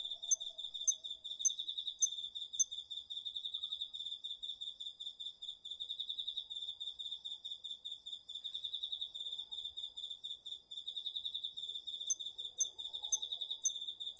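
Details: Autumn insects, crickets among them, calling at night in a home garden field, recorded with a DR-40X: a steady high pulsed trill layered with sharp, rapidly repeated chirps throughout, and faint softer buzzing lower down.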